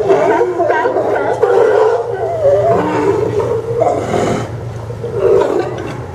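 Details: Sea lions at the Port of Newport Town Dock in Oregon, recorded September 20, 2015; rough, growling barks and roar-like calls overlap from multiple animals in a busy, noisy colony chorus.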